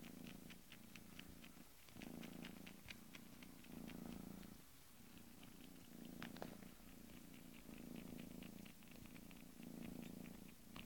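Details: Purring Bengal kitten, a deep continuous rumble pulsing in regular in-and-out cycles, joined by frequent soft clicks and small taps throughout.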